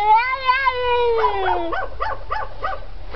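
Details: A domestic cat, seemingly imitating a dog barking in the background (possibly scared), gives a drawn-out, gently wavering whine sliding downward, then quick, clipped yaps about three a second, like a small dog's bark.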